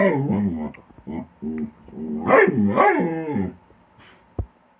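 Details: Pet dog playing with a companion animal at a tree, snapping at empty air during their usual game; a run of harmonic moaning, grumbling vocal sounds rising and falling, with a short sharp click near the end.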